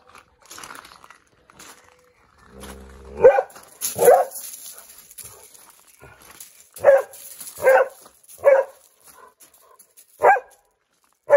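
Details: Dog barking while looking for squirrels on 22 May 2021; a drawn-out harmonic whine followed by sharp single barks, spaced irregularly about one second apart, six in all, with a faint hiss in the background.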